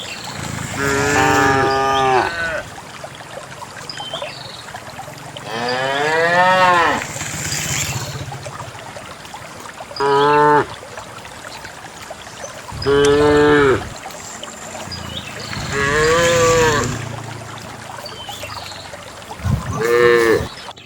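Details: On a quiet countryside morning, a herd of dozens of cows heads out toward a green valley over wet paths and wild grass; six clear, resonant moos come at irregular intervals, some rising then falling, with soft trickling and footstep sounds between.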